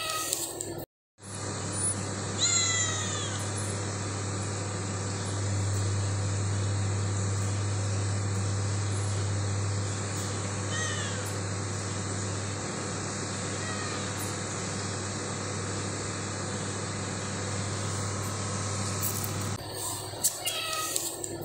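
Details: Cat on an early morning visit, giving a few short high meows with rising and falling sweeps near the start and again around thirteen and fifteen seconds, over a steady low hum and background noise.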